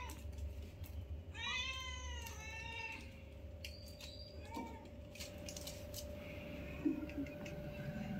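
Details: Domestic cat with newborn kittens meeting and playing with their mother for the first time: one long, drawn-out meow of about one and a half seconds, wavering in pitch, then a short faint squeak, with constant hum and room noise.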